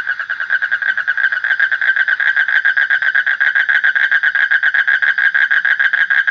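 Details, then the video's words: A frog calls loudly and without pause, a rapid string of rough, nasal pulses repeated about three or four times a second at a steady pitch throughout. "Suara Kodok / Frog Sound"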